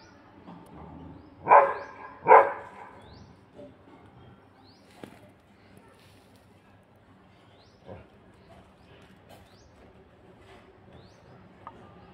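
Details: A dog gives two loud, sharp barks in quick succession near the start, then the scene quiets to faint scattered sounds and soft high chirps in the background.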